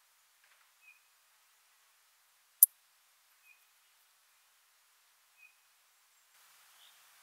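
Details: Poecilimon ornatus, the ornate bright bush-cricket, recorded with a Pettersson D 100 ultrasound detector in Seewiesen, Germany, on 28 June 2019: faint short tonal pulses every two to three seconds, one loud sharp click, then a soft hiss near the end.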